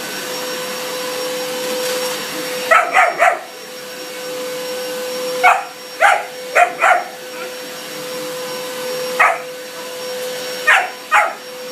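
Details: German Shepherd puppy barking at a running vacuum cleaner indoors: bursts of sharp barks, often in quick pairs or triplets, separated by pauses, over a steady humming vacuum drone.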